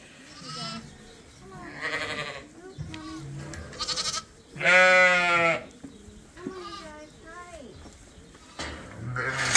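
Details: Lambs being bottle fed on a sheep farm. They still nurse from their mothers but are topped up twice a day from a hand-made bottle feeder. A loud, wavering harmonic bleat comes midway, amid shorter bleats, background music and a person coaxing them to come.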